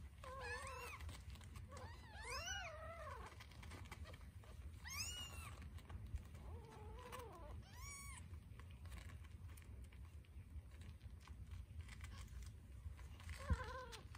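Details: Scottish Fold kittens, one a tortie, jostle over a nipple while suckling; loud, bending mews cluster in the first eight seconds, then a lone cry near the end, over a constant low rumble.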